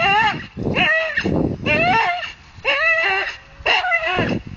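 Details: A Staffordshire Bull Terrier hanging from a tree gives strained, whiny growls in bursts about once a second.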